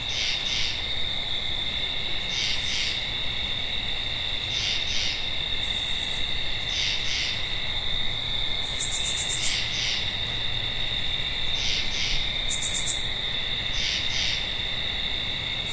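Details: Night chorus of a tree frog: doubled raspy notes repeat roughly every two to two and a half seconds, set against a constant shrill insect trill, with occasional higher buzzy bursts from other callers.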